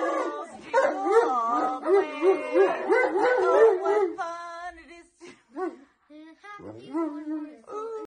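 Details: A Rottweiler puppy howls and yips in wavering, rising and falling tones while people sing Happy Birthday.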